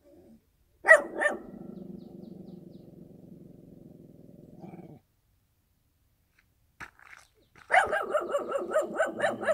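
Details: Dog in the countryside giving two sharp barks, then a sustained low rumbling growl for about four seconds, a short pause, and a burst of rapid, evenly repeated barks.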